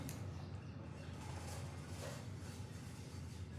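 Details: Steady low rumbling background noise, like a passing vehicle or engine hum, with faint indistinct sounds and no clear animal calls.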